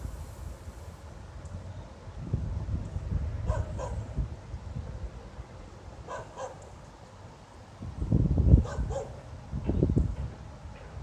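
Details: A dog barks at night, 02:28 on 26 November 2016, for no apparent reason, going on for half an hour. Faint, far-off single barks sound every few seconds over a heavy low-pitched rumble, with louder thuds near the end.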